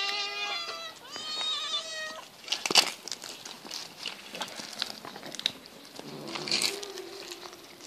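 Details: Hungry pet cats, part of a group of eight being fed fish, give two long wavering meows, then fall quiet apart from clicking, smacking eating noises as they feed.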